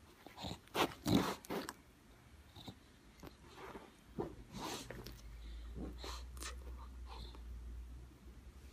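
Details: Lucy, a pet bulldog turning eight, indoors and prompted to say goodbye: two or three short, loud, gruff barking bursts early on, followed by softer snorts, sniffs and scattered clicks, with a person's voice close by.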